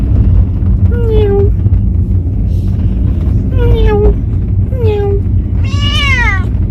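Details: Chatty pet cat travelling for the first time on a sightseeing outing: three drawn-out descending meows followed by a brighter, wavering final call, over a steady low vehicle hum.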